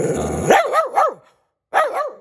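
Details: Lhasa Apso barking after a person's voice: three quick arching yappy barks, a second of silence, then another bark with a short follow-up yap.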